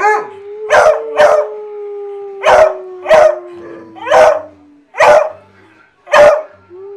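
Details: Hounds riled up and howling together in a musical chorus: a long steady tone sliding slowly downward runs beneath short, sharp barking bursts repeated roughly every second, with a brief rising howl at the end.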